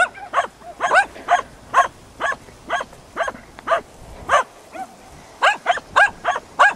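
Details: Hunting dogs Prle and Pirana baying at a dead deer, Salas, 8 September 2012; loud, clear barks repeated about every half second, one brief pause, then a quicker closing series.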